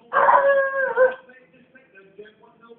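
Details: A pet dog gives a short howl in a garden: one loud, sustained tonal note lasting about a second, steady then wavering and dipping at its end, trailing off into faint, quiet tonal murmurs.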